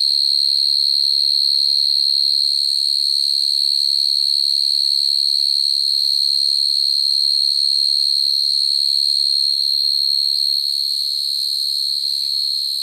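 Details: Night-time call of a field cricket summoning females, used as a lure for trapping crickets: a continuous shrill trill at constant pitch, unwavering for the whole stretch, with a faint low rumble in the background.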